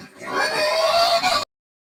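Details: Screaming pig of a rustic, medium-sized meat-and-lard breed: one harsh, rich squeal swelling quickly and holding steady for over a second before cutting off abruptly into silence.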